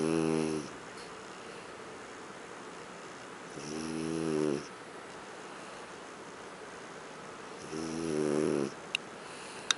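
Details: Huck, a French bulldog, sleeps on the living-room sofa and snores: three drawn-out, raspy, nasal rumbles about four seconds apart, with quiet indoor stillness between them and a couple of faint clicks near the end.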